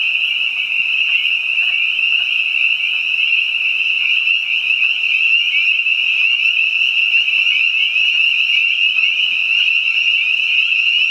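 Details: Spring peepers and other frogs singing in spring behind a house: a dense, unbroken chorus of shrill, high peeps merging into one steady ringing drone throughout, with no pauses and no other clear sounds.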